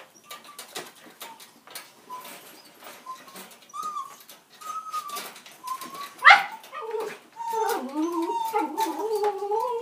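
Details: A dog whines: soft, thin tonal whines through the first seconds, then one sharp sliding cry and a louder wavering, undulating whine that rises and falls over the last few seconds, with steady clicking and rustling throughout.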